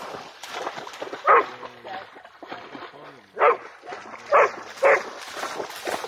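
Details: Excited barking from a Pharaoh Hound trying to catch a bat flying low over water, four loud abrupt barks spaced about one to two seconds apart, the last two close together, with people talking in Swedish in between.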